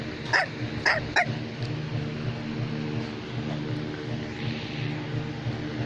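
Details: Three quick, high-pitched yaps from a Bichon Frisé, the toy dog breed, packed into the first second, followed by several seconds of quiet room tone with faint background music.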